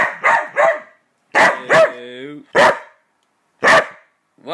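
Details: Border Collie barking and whining as its owner counts down, which the dog is said to hate; short harmonic barks and a drawn-out falling whine overlap with the owner's voice, in bursts about a second apart.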